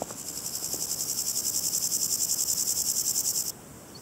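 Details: A Chorthippus maritimus grasshopper gives a single rasping burst of about three and a half seconds. The burst is made of quick, evenly spaced high pulses, roughly eight per second, then stops abruptly into quiet background.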